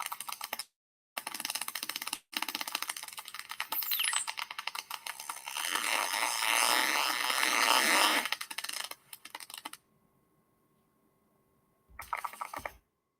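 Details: Atlantic white-sided dolphins off Nova Scotia, recorded underwater, give dense trains of sharp, high clicks that blur into crackling buzzes.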